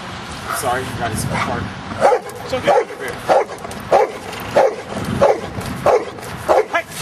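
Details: Giant schnauzer out in rain and mud at play: a person speaks at the start, then regular short barks, about three every two seconds, continue over steady rain hiss.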